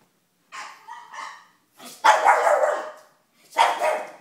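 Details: A female pug puppy watching a TV show barks. Two short, softer yaps are followed by two loud, rough barks about one and a half seconds apart, each with a trailing growly tail, against silence between.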